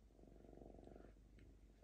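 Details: Purring of Diva, a lynx calm for the first time and destroying paper towels at home: an even, continuous pulsed purr, loud and steady through the first second, easing off, with faint clicks of paper.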